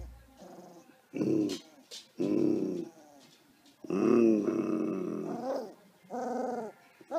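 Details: Xoloitzcuintle dog in Australia giving loud, harmonic growl-like vocalisations in four separate bursts of about half a second to a second and a half each, with quiet gaps between them; the longest burst wavers in pitch.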